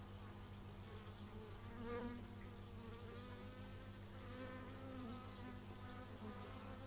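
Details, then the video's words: Stereo x/y microphone recording of bees: an unbroken low drone layered with gliding higher overtones, swelling twice as insects fly close. "Bee movie but its just bees"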